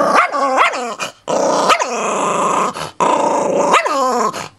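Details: Chihuahua mix acting tough over a bone, growling loudly in long rumbling stretches broken by rising, whiny snarls that swoop up and drop back, with short silent gaps between bouts.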